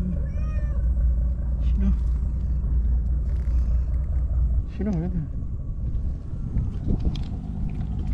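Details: Japanese stray white cat from the tetrapods gives an eager greeting: a short high meow at the start, then a lower wavering mew near the middle, mixed with human talk and a heavy low rumble.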